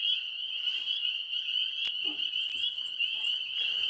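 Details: Tree frogs trill in a steady, high-pitched chorus at night, heard outdoors from a porch while an Alaskan Malamute listens.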